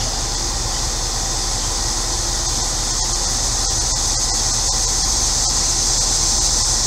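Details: Steady, shrill cicada drone on a hot central Illinois day, unchanging throughout, backed by the low hum of a neighbour's running air conditioner.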